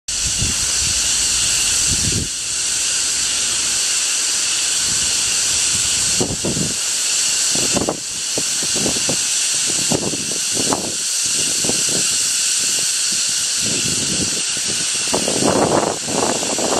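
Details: Insects in China screaming in a loud, unbroken chorus: a dense, hissing, high-pitched drone layered in several bands that holds steady throughout, with scattered low rumbling bursts beneath it.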